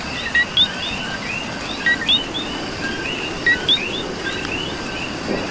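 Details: Chorus of coqui frogs in Puerto Rican rain: bright paired 'co-qui' notes sound about every one and a half seconds, set against many fainter overlapping chirps and a steady wash of rainfall.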